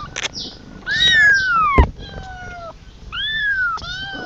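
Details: Kitten calling for its mother with three drawn-out meows that slide downward in pitch. A sharp knock comes between them, over a low background rumble.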